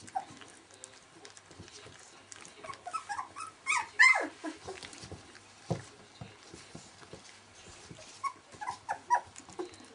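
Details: Nineteen-day-old Welsh Springer Spaniel puppies: sparse soft squeaks and shuffling, broken by a sharp, falling whine near the middle, then a few more faint whimpers.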